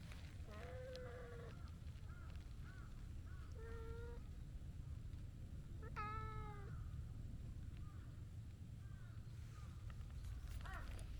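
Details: Rough-voiced stray tabby cat, too impatient to wait its turn for petting beside a gentle orange-and-white cat, gives several hoarse, drawn-out meows with falling tails, the loudest near the middle, over a steady low outdoor rumble.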